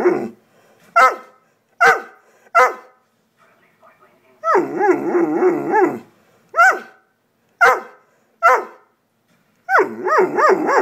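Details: Female pet dog seemingly trying to talk, alternating short single barks about once a second with stretches of wavering, rising-and-falling groaning howls, in a quiet room.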